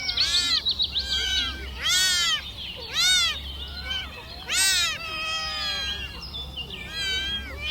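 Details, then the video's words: Young kittens crawling around and asking their mother for milk, giving high, arching mews with rich overtones, several callers overlapping, repeated in bursts about every second. "Kittens asking for mothers milk"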